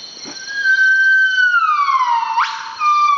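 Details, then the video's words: Wild northern buff-cheeked gibbon, Nomascus annamensis, singing in early morning near sunrise in the Veun Sai-Siem Pang Conservation Area, northeastern Cambodia. A long pure whistled note sags slowly downward, then snaps into a steep rising sweep and a higher whistle, over steady insect hiss. "Gibbon Morning Song"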